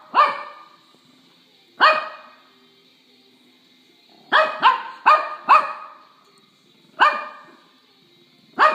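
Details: A female Shih Tzu puppy, discovering how to bark while playing with her Shih Tzu sister, gives sharp, high-pitched yaps, single at first, then a quick burst of four.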